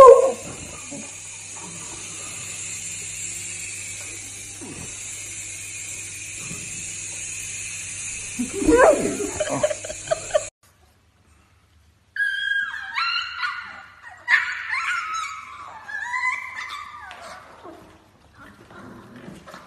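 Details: Beagle puppy giving a few barks over a humming background, then, after a short silence, a run of high-pitched yips and whimpers that rise and fall in pitch.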